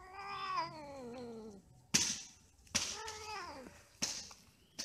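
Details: Cats during mating and quarrelling: a long wavering wail sliding downward, then three sharp, explosive hissing spits spaced about a second apart, each trailed by a short falling yowl.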